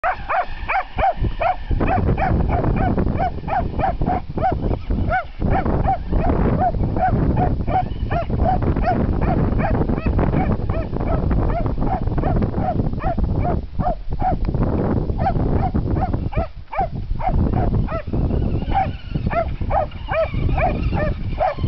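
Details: Buddy, a Jack Russell Terrier and Dachshund mix, barks while chasing a remote-controlled monster truck outdoors; sharp, high, arched yaps come in quick runs for the whole stretch over a steady low rumble.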